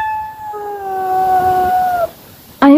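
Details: A grumpy mother cat, easily annoyed with her kittens, gives a long, steady, whining yowl lasting about two seconds with a lower voice overlapping. After a short pause a brief loud sound cuts in.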